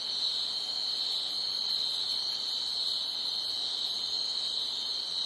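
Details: Loud night-time crickets form a continuous, even, shrill buzz that never pauses, with a slight flutter in the higher overtones and nothing else audible behind it.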